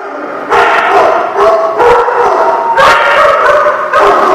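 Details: Several dogs barking together, recorded 22 October 2016: overlapping rough, harmonic barks in dense bursts, with a short quiet start before a near-continuous chorus of yaps and woofs.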